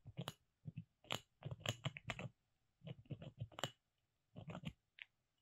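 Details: Molly, a pet squirrel kept at home, gnaws on wood: clusters of dry, crackling clicks and crunches in short bursts with brief pauses between them, a quiet room behind.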